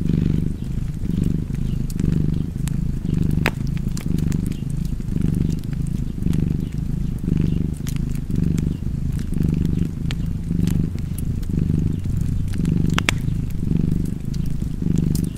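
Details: A cat purring beside a fireplace: a deep, steady rumble that swells and fades with each breath, about once a second, overlaid by sharp pops and crackles from the fire.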